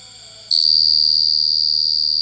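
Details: After half a second of near quiet, a cricket abruptly starts a loud, clear, shrill trill and holds it as one unbroken high tone until the end.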